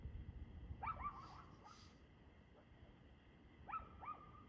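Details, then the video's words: Barking dog recorded 2/6/2024 around 6:02 pm, giving two quick double barks, one near the start and one near the end, with a low continuous hum underneath. "Barking Dog"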